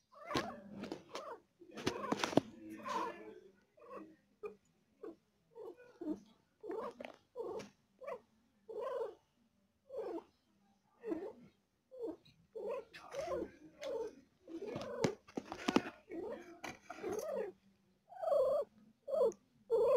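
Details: Female cat giving birth to four kittens and in pain, voicing a long run of short, mid-pitched moaning cries, each under a second, coming in quick, uneven bursts with brief silences between them; no other sounds stand out.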